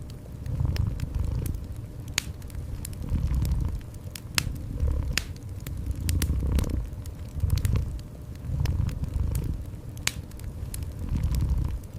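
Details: Gentle cat purr set against a crackling fire in a cozy room; deep pulsing rumbles rise and fall in steady cycles while bright pops and crackles of the fire sound throughout.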